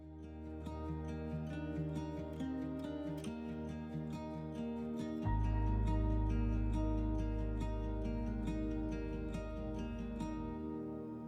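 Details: Gentle instrumental music with plucked strings and a sustained low drone, with no animal sounds.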